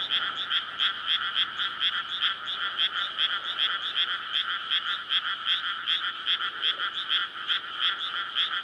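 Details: Many frogs courting at night in a May rice field newly filled with water, recorded on a PCM recorder beside a road; continuous overlapping rapid croaking pulses, uneven rhythm, no traffic clearly heard.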